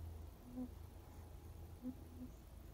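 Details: Kitten purring: a low, steady rumbling drone throughout, with a few short faint tonal blips near the start and end and a quiet background hiss.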